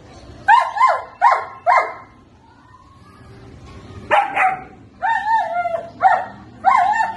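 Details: Seventy-day-old German Shepherd puppies yapping: three quick high barks, a quiet stretch of about two seconds, then a livelier burst of yelping barks with slightly drawn-out, whiny endings.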